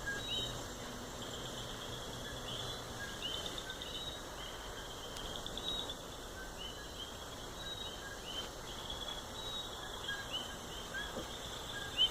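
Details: Coqui frogs in their natural habitat in Puerto Rico, a dense chorus of short high chirping notes repeating steadily over a continuous hiss of insects and background noise.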